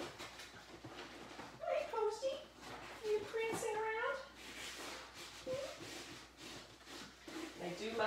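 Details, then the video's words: Labrador retriever puppies playing, snarling and barking during a messy morning in their pen; short high whimpering yips with bent, wavering pitch come in scattered bursts, partly masked by a person talking throughout. "Snarling Playing and Barking! Lab Puppies Messy Morning"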